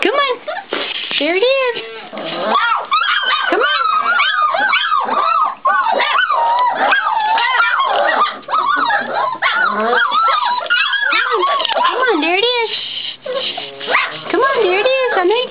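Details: Great Pyrenees puppies, 4.5 weeks old, clamoring to be fed: dense, overlapping high whines and yips that rise and fall almost without pause, while a person talks softly over the litter indoors.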